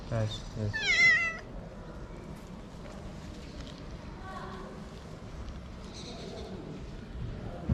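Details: Hungry homeless street cat in Morocco, sniffing at the camera, gives one loud wavering meow early on, rich in harmonics and sliding down at the end; people's soft voices and low street rumble continue afterwards.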